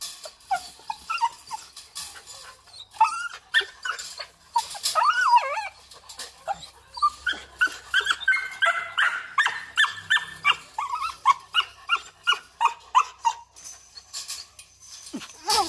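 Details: Female Belgian Malinois, a breeding and protection dog, gives high, bending whines early on, then a rapid run of short yelping bursts, about three per second, amid background clatter.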